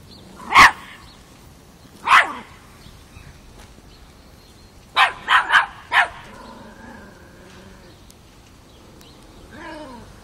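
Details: Five-month-old Miniature Pinscher puppy named Chocolina, also called Chiquita, confronting a mature cat in Kiev, Ukraine, October 2013: sharp isolated barks, two single ones then a quick cluster of four, with a faint later yelp.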